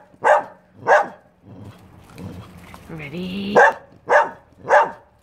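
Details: Dog barking: two sharp barks, a pause filled with a lower voiced sound resembling speech and a rising whine, then three more barks at roughly half-second spacing.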